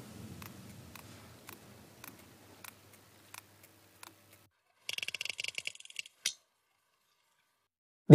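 Sperm whale codas: sharp, dry clicks spaced about half a second apart, then a rapid rattling burst.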